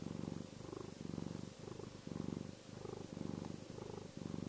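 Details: Chester the cat purrs contentedly and reassuringly, a low vibrating drone rising and falling in quick breath cycles, around seven in a few seconds, with nothing else audible.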